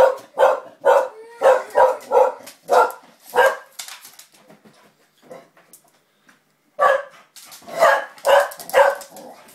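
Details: Springer spaniel barking while playing with a young girl: a rapid run of short, sharp barks, about eight in the first four seconds, then a quiet gap with faint sounds before another burst of five quick barks.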